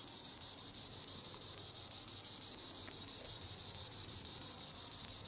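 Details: Green annual cicada (Tibicen linnei) singing in the treetops: a loud, high, hissing buzz pulsing about twice per second, steady throughout with no other clear sounds.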